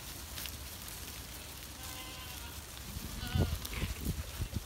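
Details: Goat bleating on a gloomy day while the animals move, giving a wavering nasal bleat in the middle, followed by heavy low thumps and shuffling, with a constant broad background noise.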